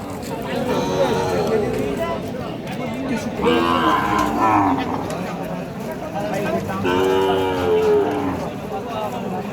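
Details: Sahiwal and other breed calves, six to eight months old, at a livestock market; several drawn-out, wavering moos with rich harmonics, about three calls, amid steady crowd chatter and bargaining voices.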